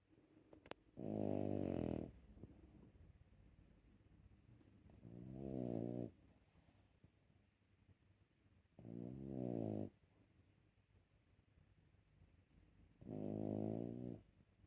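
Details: Sleeping puppy snoring steadily in a small room: four long, buzzy, low inhaled snores spaced about four seconds apart, with quiet breathing and faint rustling between them.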